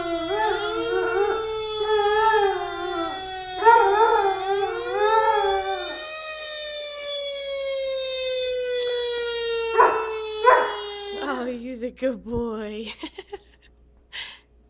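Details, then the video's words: Two-year-old Labrador-Chow mix howling along with a passing fire truck siren: wavering, rising and falling howls layered over the steady siren wail, then yips and a final sliding howl as the siren fades. "FIRE TRUCK HOWLING PUPPY !"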